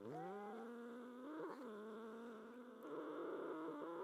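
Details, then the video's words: Two domestic cats, Coraline and Duke, quarrel over their favourite bed: long drawn-out yowling tones that waver and slide, one voice rising and holding, with a brief sharper disturbance near the middle and a rougher, tremulous wail toward the end. "Cat Fight Sound Effect"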